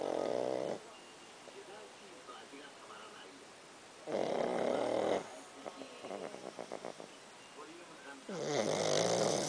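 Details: Snoring from Pakkun, a pet dog: loud, rough, breathy snores about every four seconds, each lasting close to a second, with soft human voices and small clicking sounds in the gaps.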